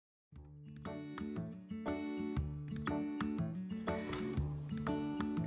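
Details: After a brief silence, bright plucked acoustic guitar music starts and strums in a regular beat, with no animal sound apparent.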